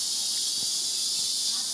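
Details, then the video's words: Cicadas in the jungle near the Vallon-Breux garden, Guadeloupe, in summer fill the air with a steady, high, hissing drone that never breaks. "C'est les cigales qu'on entend."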